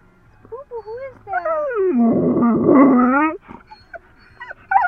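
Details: Excited female dog on the way to the dog park, letting out high wavering whines that rise and fall, then swell into a long, loud, drawn-out howling whine, with a person's voice close by.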